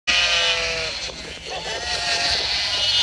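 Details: White sheep bleating: a wavering, harmonic bleat through the first second, then further drawn-out bleats over a dense, hissy high-pitched background.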